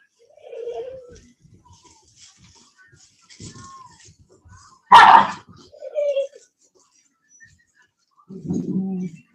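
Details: Cane Corso (Italian Mastiff) from a breeding pack west of Nashville, Tennessee, giving a brief whine, then a single sharp, explosive bark, another short whine, and a low rough grumble near the end, with faint talking in the background.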